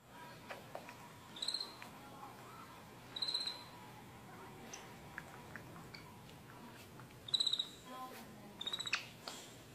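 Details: A capuchin monkey giving a massage makes short, high, squeaky chirps in scattered bursts a few seconds apart.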